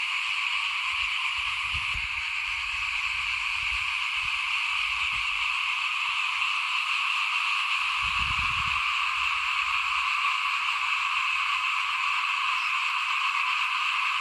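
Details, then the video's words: Small frogs calling in front of a house as rice is sown in 2021, a thick continuous chorus of rapid overlapping notes, with intermittent low rumbling sounds around the second and eighth seconds. "เสียงเขียดร้องหน้าบ้าน ตอนหว่านข้าวเตรียมปลูก"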